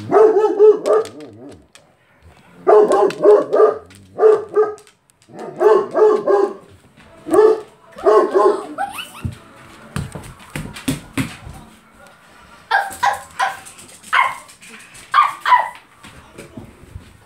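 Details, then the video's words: Great Pyrenees dog barking in bursts of deep, rapid woofs, several barks per burst, repeated through the first half, then quieter clattering and scattered higher sounds toward the end. "Great pyrenees barking."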